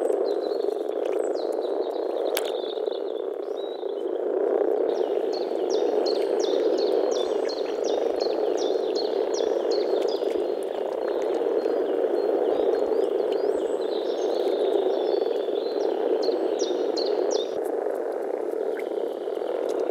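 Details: Many European frogs calling together in spring, Czech Republic; a thick, steady wall of low croaking, with a brief run of faint high rapid ticks over the middle section.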